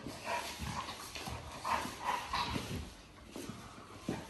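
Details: Playful Cane Corso dog, heard indoors making a series of short, mid-pitched whining tones in quick succession during the first half, then quieter snuffling and thuds of movement.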